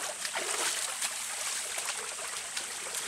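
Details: Running water splashes and trickles steadily throughout, with no animal call standing out.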